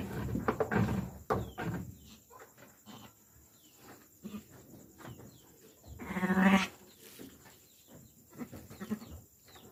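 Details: Bleating sheep during lambing, with a single strong, tremulous bleat near the end of the clip over low rustling and scattered soft sounds.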